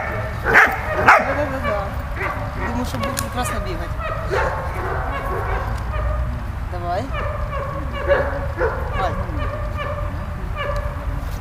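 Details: Malta, a dog, playing with Bulat: two loud yelps open, followed by many quicker, softer barks and whines at an irregular rhythm over continuous low background noise.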